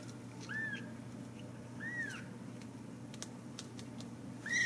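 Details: Ragdoll kittens at a home cattery in central Kansas, raised without cages: three thin, high, arching mews spaced roughly a second or more apart, with faint clicks and a steady low room hum beneath.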